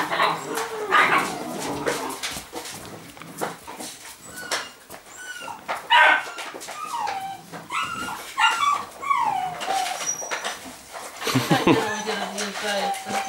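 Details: Rhodesian Ridgeback puppy from the Makao Line kennel, born 9 September 2016, indoors: a run of thin, high whimpers and whines, several sliding downward in pitch, some short and repeated, with a woman speaking Russian at the start.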